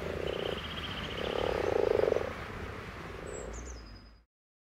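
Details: Common frog croaking in soft, pulsed, purring grunts: three bursts, the middle one longest at about a second, over a low rumbling background, with a faint thin whistle early on and a brief high chirp near the end.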